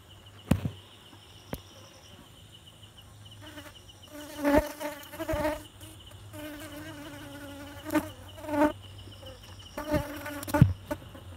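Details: Honey bees at a beehive making honey, with a steady buzzing hum and bursts of louder, close buzzing as bees fly past, several swelling passes over eleven seconds.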